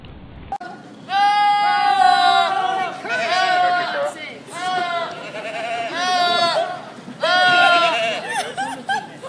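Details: A goat screams over and over like a person yelling. There are five wavering, harmonic-rich cries, each about a second long, with short pauses between them and a faint low murmur of background sound.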